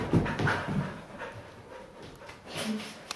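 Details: Pet Siberian Huskies having fun together on a couch indoors: a quick run of short, low grunting bursts with a brief higher whine in the first second, then softer breathing and one more low moan near the end in a small room.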